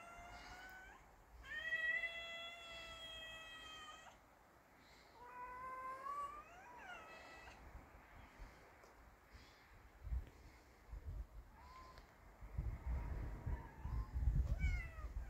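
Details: Street cats with a brave kitten that does not fear an older cat: long sustained meows with a rich wavering tone, then shorter rising cries, softer later amid low rumbling background noise.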